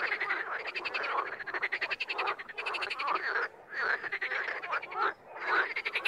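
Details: Raspy, rapidly pulsed croaks from wild frogs come in uneven waves, with short lulls between bursts and a few higher whistled notes among them.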